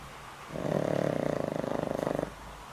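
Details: A dog over twenty years old, Boram, sleeps and snores heavily despite a failing heart; one rough, vibrating snore swells in and cuts off after nearly two seconds, room otherwise quiet.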